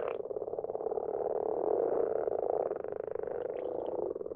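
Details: Common frogs calling at night from a garden pond, a steady unbroken mass of low, rapidly pulsed purring croaks that swells slightly in the middle.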